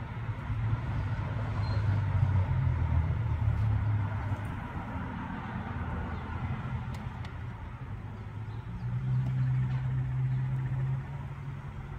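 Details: Low engine rumble of passing road traffic fills the whole stretch, with no animal calls audible.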